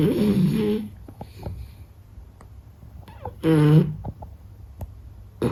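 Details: Sleeping Beagle snoring: two loud, buzzy, rasping breaths about three seconds apart, with faint clicks and soft breathing between them and a third snore starting at the end.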